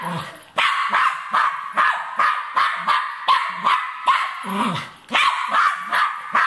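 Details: A Cairn Terrier hunting a rat delivers a steady stream of sharp barks about two and a half per second, with a short whimpering note near the end.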